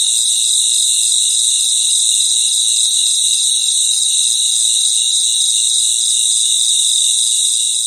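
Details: Crickets chorusing at night: a dense, even, high-pitched trilling hum in stacked bands that holds constant from start to finish, with no other clear sounds.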